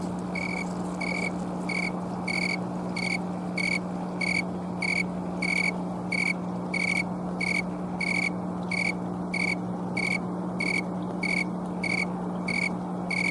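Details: Oecanthus fultoni, the snowy or thermometer tree cricket, chirping outdoors in Colorado on an October 2022 afternoon, camcorder recording: a long, even train of about twenty bright, high pulses, each well under a second apart, with a constant low drone.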